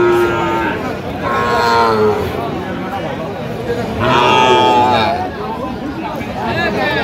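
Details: Sahiwal bull calves at a livestock market in Cox's Bazar, Bangladesh, 8 November 2025; several drawn-out, harmonically rich moos, the loudest near the middle, over steady crowd chatter and bargaining voices.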